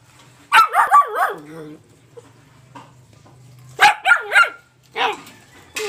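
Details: Black Labrador Retriever puppy, aged between two and seven months, born July 28, 2020: two bursts of high, rising-falling yelping barks, three or four in quick succession each, with a quiet low hum between.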